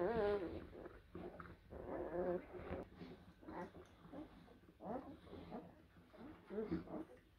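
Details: Young blue Great Dane puppies, born April 2023, whimper and squeal indoors in short, closely spaced, tonal bursts that waver in pitch, over a steady low hum.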